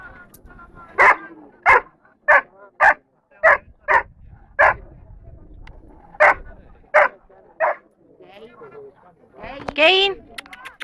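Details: At the A.I.A.D. national Dobermann gathering in Rome on 21 March 2010, young Dobermann Zidan (Keyn), third among juniors, fires off about eleven short, punchy barks, then a handler's raised voice follows.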